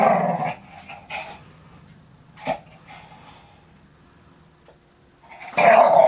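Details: Young English Staffordshire Bull Terrier at play with a ball: short rough growling bursts, one near the start, another a second later, a sharp bark-like burst midway, then a loud harsh growl closing the stretch, with quiet gaps between.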